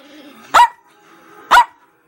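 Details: A female Chihuahua talking back gives two sharp, high barks about one second apart, with faint whining sounds in between.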